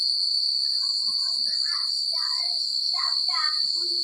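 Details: Night crickets in quiet rural country keep up a continuous high-pitched pulsing trill, while brief murmuring, voice-like sounds rise and fall underneath for the first few seconds.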